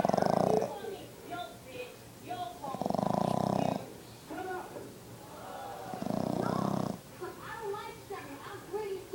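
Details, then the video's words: Five-month-old Boston Terrier puppy snoring: loud, rough, pulsing snores lasting about a second, coming roughly every three seconds. Talking voices carry on quietly in between. "Boston terrier snoring"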